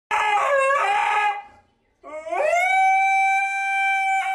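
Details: Pet husky 'singing' in a long, wavering howl that ends in a short break. A second howl then rises and holds a steady, pure, harmonic-rich tone to the end. No other clear sounds.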